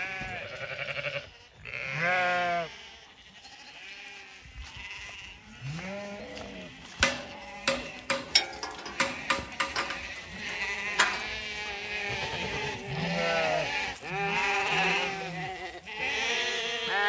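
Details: Flock of Zwartbles ewes filing out of the long acre before sunrise on a Sunday in County Kilkenny, Ireland; many overlapping quavering bleats throughout, with sharp clicks and knocks in the middle.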